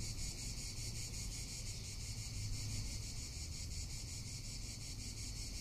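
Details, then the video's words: Cicada calling in summer in Tuscany: a loud, continuous high-pitched shrilling drone that pulses steadily and evenly throughout, with low wind rumble underneath. "Cicada or Cigarra - Sounds of summer in Tuscany"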